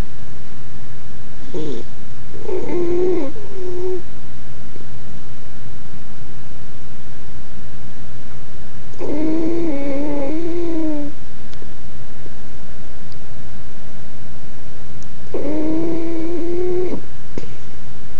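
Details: A sleeping female Jack Russell Terrier puppy snores with low, rattling breaths that carry a faint whistly edge, each lasting a second or two, with several seconds of quiet between them over a steady low room hum.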